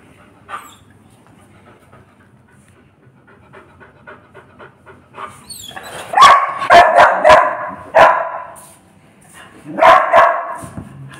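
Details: Dalmatian dog panting quietly at first, then a burst of loud, sharp barks repeated in quick succession, a pause, and another short bark series near the end.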